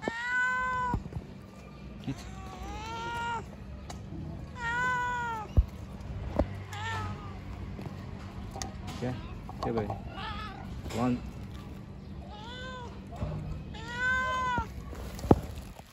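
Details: Stray cats on the street begging for food: loud arched meows, each a rising then falling wail, repeated in bursts every second or two, with a constant low hum and occasional thuds behind them.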